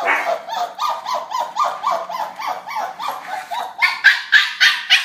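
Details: Puppies in playful interaction produce rapid, rhythmic yapping, short high barks repeated about three or four times a second, growing louder and shriller toward the end.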